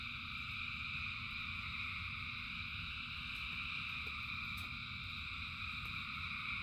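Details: Rain falls while a vast crowd of frogs sings, their calls merging into a constant layered trill at mid and high pitch, with a few brief ticks above a low, rough rain rumble.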